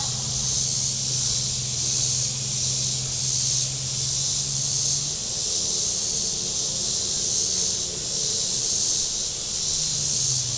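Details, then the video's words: Cicadas on the Table Rock Lake shore in southern Missouri on a hot Saturday: a high rasping buzz that throbs gently in waves, over the low steady hum of a boat motor. "Boating Lake Sounds and Cicadas"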